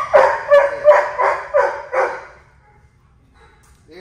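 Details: Milo, a Labradoodle dog in training. Five sharp barks at a steady pace, roughly three per second, then quiet, with a man giving sit commands and praise around them.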